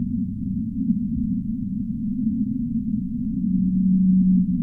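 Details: Whale in the deep sea: a low, steady tonal moan holding one pitch near the end of the clip, over a constant deep rumbling wash of underwater noise with nothing high-pitched.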